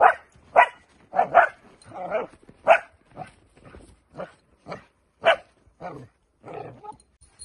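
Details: Dutch Shepherd during training barking in loud, sharp, mid-pitched bursts, some doubled, about a dozen barks over seven seconds at an uneven pace, with brief spoken words around them.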